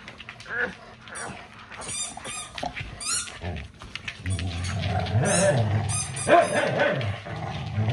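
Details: Household dogs at play indoors while their owner tries to watch a show; low rumbling growls build in the second half, with high squeaky yips and household chatter around them.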